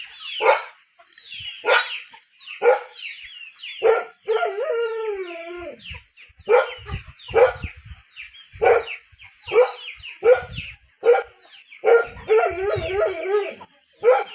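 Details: Dog in a rural area giving sharp barks at uneven intervals, with a drawn-out whining howl in the middle and another near the end, over steady high chirping from birds nearby.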